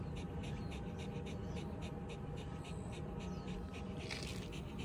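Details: Shiba Inu Ranmaru rests on cold ground under a shaded hilltop shelter, cooling off after a walk. Quick rhythmic breathy pants over steady low wind noise, with a brief hiss near the end.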